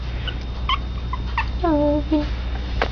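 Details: Pomeranian puppies, two young siblings kept indoors as pets, giving short high whimpering squeals: a few brief squeaks, then a louder falling whine near the middle and another short one after, with a woman talking quietly and low room hum.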